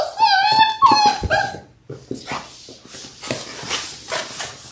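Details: Six-week-old Labrador Retriever puppies from a litter of six born January 18, 2022, on a live puppy cam: two drawn-out, high, wavering whines with rich overtones in the first second and a half, then shuffling and rustling sounds.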